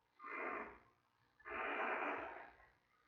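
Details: Tiny giant panda cub on days 22 to 23 in the den at the Smithsonian's National Zoo, mother Mei nearby. Two breathy, hoarse wheezing cries, the second one longer, over a quiet background.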